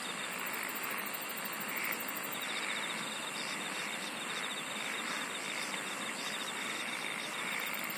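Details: Chorus of singing insects: a thin, very high pulsed trill early and late, a mid-high rhythmic buzzing pulse train throughout, all layered over continuous shimmering insect hiss.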